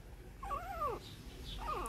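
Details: Newborn Shih Tzu puppies with their mother in 2014: one arched, harmonic whine rises and falls over about half a second, then a shorter whine begins near the end, over a low background hum.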